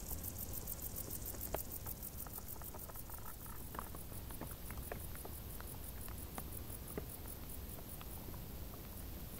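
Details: In tall summer grass, crickets produce a continuous string of quick high pulses, while many small crackles and taps sound nearby over a low hum.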